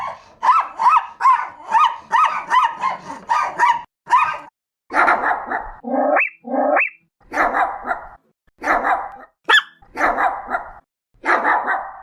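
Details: High, piercing Chihuahua barks come in a fast repeated string, then a few rising whiny yelps, followed by louder, harsher single barks spaced about a second apart.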